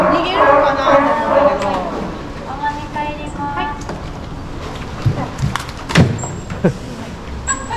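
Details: A California sea lion at an aquarium, where two young females aged two and one are kept, gives a loud, hoarse, mooing bellow; a male in breeding condition calls persistently in the background, with people talking nearby.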